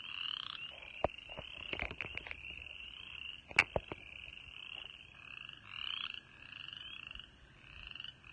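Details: Frogs calling in early March spring at a birding park in East Tennessee: a dense, steady high trilling chorus with a lower second band, broken by several sharp clicks and knocks.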